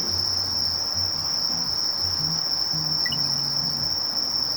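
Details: High, steady buzzing of a Sasakiri katydid (Conocephalus melaenus) runs throughout, with faint low tonal hums and a short chirp behind it.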